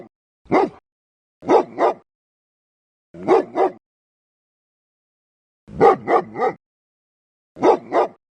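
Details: A dog gives loud, fierce, deep-toned barks in clusters of one to three, separated by gaps of one to two seconds; the recording is otherwise quiet.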